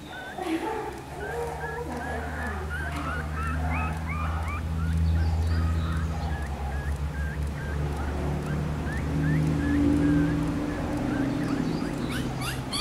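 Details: Newborn black-and-silver Miniature Schnauzer puppies, born on 18 May, give a steady stream of short, high, hooked squeaks in quick succession over a constant low hum, several voices overlapping.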